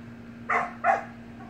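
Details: Two sharp, high puppy barks about a third of a second apart from Samoyed pups playing with siblings in a pool, set against a constant low electrical-sounding hum.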